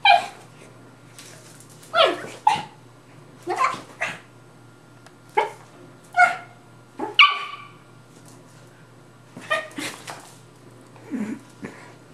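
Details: Two playing dogs, a Rat Terrier and a Maltese/Yorkie mix, trade rapid high barks and yips, roughly one every second, some doubled, with a lower growly bark near the end and a low constant hum behind.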